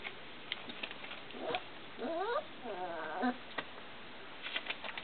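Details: Four-week-old Bernese Mountain Dog puppies, born 1 March 2010 and recorded 28 March 2010 in Hitzacker, Germany: thin, wavering squeaks and whines with repeated falling-rising slides, interspersed with short clicks and shuffling sounds.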